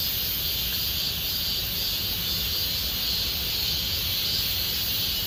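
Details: High, constant buzzing of a cicada chorus in Gomsol Nuri Forest, Sihwa district, during late summer, pulsing softly and evenly without pause over a low background hum.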